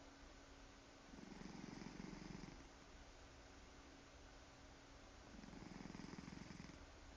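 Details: A purring cat that snores as it purrs: soft low rumble rising into two broad snoring surges roughly four and a half seconds apart, otherwise a constant quiet drone.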